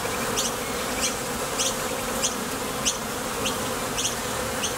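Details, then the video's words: Honey bees in flight at a Top Bar Hive entrance, heading out to the field for nectar or returning. An even, rich hum made by thoracic muscle vibration, broken by light clicking ticks about twice a second. "Bees Sound Effects | WHITE NOISE | RUIDO BLANCO RELAJANTE Sonido de las Abejas"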